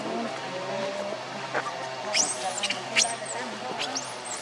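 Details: Baby macaque named Leo crying and begging its mother for milk while hungry: thin, very high squeals that arch upward and fall, several in quick succession in the second half, over a steady low hum and murmur.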